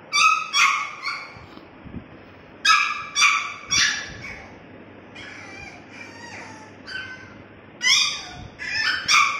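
French bulldog puppies give high, thin whines and yelps in short bursts, overlapping one another.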